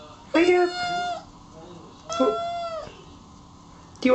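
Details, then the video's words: Kittens giving drawn-out, level meows, two long cries about two seconds apart and the start of a third, steady in pitch and fading at the ends. "Küçük (bebek) kedilerden dikkat çekici sesler"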